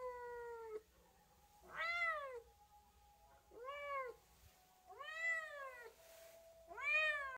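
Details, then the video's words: Cat producing a run of short arched meows, five calls in about seven seconds, each rising sharply then dropping, with a faint steady hum in the background. "chat qui miaule | cat voice sound"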